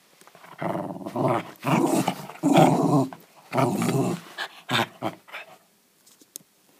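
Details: Indoors, a West Highland White Terrier growls playfully, keeping hold of its ball instead of giving it up; a series of rough, rumbling growls roughly a second long, then quieter after five seconds.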